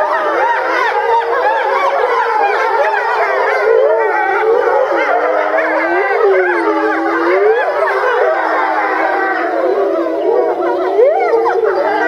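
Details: Chorus of grey wolves at Tama Zoo, Japan, in November 2013, all starting to howl together; a siren-like mass of overlapping howls, some voices swooping in arcs, the sound steady and full throughout.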